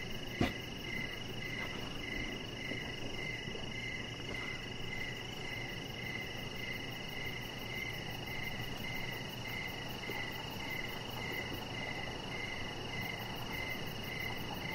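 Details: Crickets chirping outside a deck in the evening: short pulsed chirps repeated about every half second, with steady high insect drones layered above and a soft low background hum; one brief click near the start.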